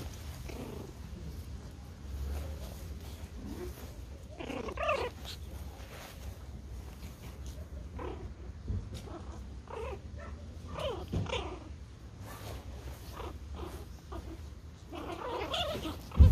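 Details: Pomeranian toy puppies playing together in a garden, giving a stream of short growly, squeaky vocal bursts that come and go throughout, over a steady low rumbling hum.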